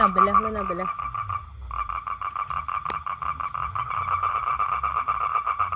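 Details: A human voice briefly opens, then a male toad takes over with its mate-seeking call, a buzzy pulsed trill on one steady pitch that keeps going to the end.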